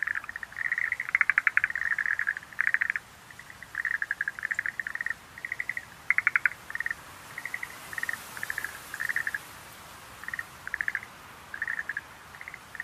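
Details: Schlegel's green tree frog calling in short rattling bursts of rapid pulses, the bursts spaced irregularly with quiet stretches between them.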